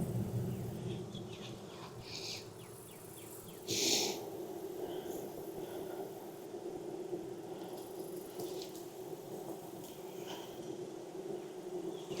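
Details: Honey bees humming steadily in a backyard hive in Texas on a hot day of about 92F during an inspection after weeks of rain; a low droning band runs throughout, with clicks, rustles and a brief burst of handling noise.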